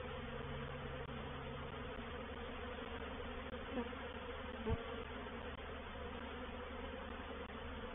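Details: Reproductive swarm of honey bees entering a bait hive at Painted Peacock Manor on 04/07/21: dense continuous buzzing hum, even in loudness, with a single sharp knock near the middle.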